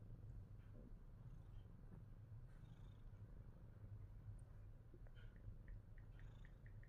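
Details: Fat Boy, a Himalayan Persian cat, purring steadily and without pause, a low continuous rumble throughout, with a few faint clicks and soft rustles over the top late on.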